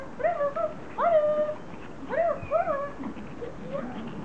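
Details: Pomeranian greeting its owner on her return from vacation, whimpering in clear rising-then-falling whines, four main cries within a few seconds, fading to softer whimpers.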